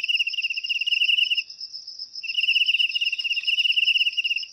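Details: Crickets calling, a sound said to drive rats out of houses naturally; a fast pulsed trill runs about a second and a half, breaks briefly, then resumes for two seconds over a constant shrill background hum.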